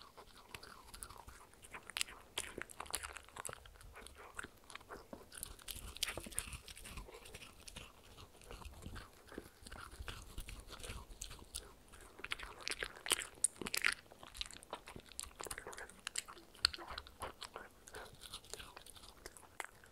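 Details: A dog munches a handmade cupcake treat, a dog-safe mini muffin, close up. The sound is bright and crackly: rapid small crunches and clicks tumble on continuously in a quiet room, with no talking.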